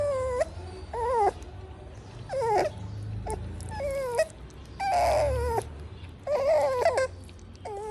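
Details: Pug puppy eating and crying: high, nasal whimpering whines in short bursts about every second, around nine in all, each bending up then sliding down, over soft low chewing and mouth noises.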